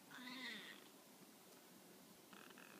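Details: Tonkinese cat lying down and replying when called, giving one short meow that slides downward and fades, then a faint brief sound near the end.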